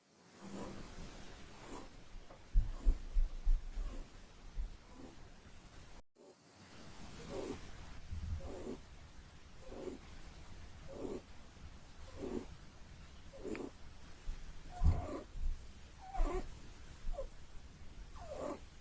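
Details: Holland Lop rabbit snoring while asleep: soft, breathy snorts repeated roughly once a second, some stronger with a rising hiss, over a low steady hum, with a brief silent gap near six seconds.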